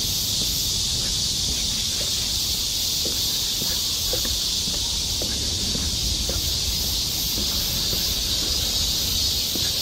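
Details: Summer chorus of many cicadas in the forest of Galsan Park, Mokdong, Yangcheon-gu, Seoul, South Korea, heard along a walking path: a dense, steady high hiss that never breaks, with faint low rumbles and scattered soft clicks underneath.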